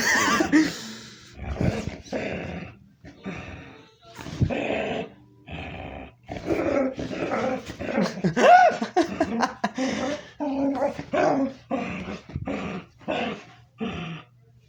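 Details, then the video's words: A dog makes a string of odd, throaty grumbles and moaning growls, each about a second long, sounds her owner had never heard before; she is excited over a big toy duck. "Hey guys, you won't believe my favorite dog Lucy here is making weird noises."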